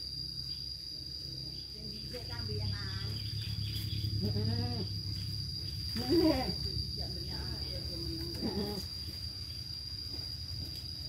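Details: Goats and their young kids on a farm bleat in short wavering calls, about four over eleven seconds, against a low rumbling background and a constant thin high whine.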